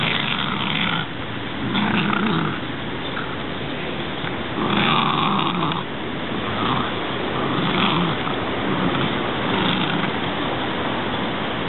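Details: Welsh Terrier dog growling while playing with a branch; rough, noisy growl bursts recur every one to two seconds over a steady background hiss.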